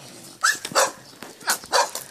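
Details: A small dog in a village yard, described as small but vicious, barks sharply in two quick pairs, high-pitched and harsh.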